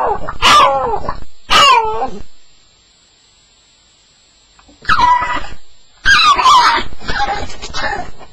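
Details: Staffordshire Bull Terrier's first-night nightmare sounds: two loud falling whimpering cries, a silent pause of about two seconds, then a renewed burst of high yelping whines.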